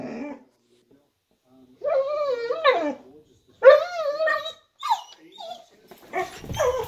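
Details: Woody, a pet dog barking out the window at something he hears or senses outside, gives drawn-out tonal howl-like barks with wavering pitch, then shorter yelps and a noisy burst at the end.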